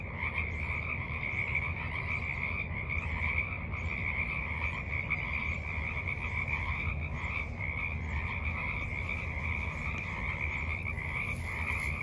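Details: Forest pond frogs croaking in the evening on March 28, 2023, heard from the water's edge; a dense steady pulsing chorus with brief high chirps early on and a faint hiss near the end.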